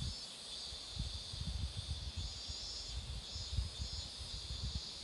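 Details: Steady cicada buzzing along a roadside with marigolds flowering, a bright sustained drone with gentle waves in intensity, accompanied by frequent low wind rumbles and light handling noise.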